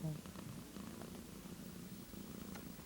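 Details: Several one-day-old kittens, among them an orange one, purr softly as a low, steady rumbling hum, with faint clicks and shuffling.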